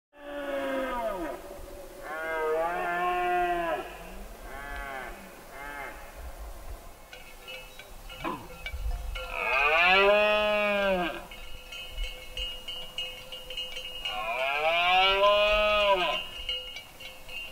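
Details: Red deer roaring during the rut in Berguedà, 2016: long, deep, hoarse bellows with arched harmonics, each lasting one to two seconds, with shorter grunting roars in between and a faint sharp knock midway.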